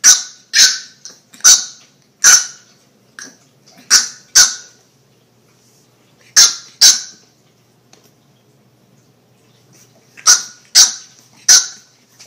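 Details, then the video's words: Puppy barking in short, high-pitched yips. They come in quick clusters of two or three, with a few seconds of quiet between the bursts and nothing else clearly audible. "Puppies Barking Compilation - Cute Dog Barking Videos"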